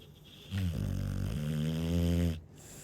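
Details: ['Sleeping Chow Chow giving a deep, droning snore of about two seconds, a low vibrating buzz that wavers slightly in pitch before ending in a soft exhaled hiss.']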